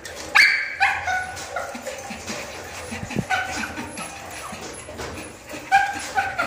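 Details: Adult male and female Chihuahuas in Bangalore, India, giving sharp, high yapping barks, a loud pair near the start and more scattered yips later, over a busy indoor background of rustling and low murmur.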